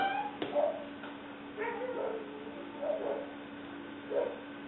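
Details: Six-week-old female English Springer Spaniel puppy named Leah, black/white tri, filmed 5/11/09: a series of short, high whining yips, about one per second, over a constant electrical hum.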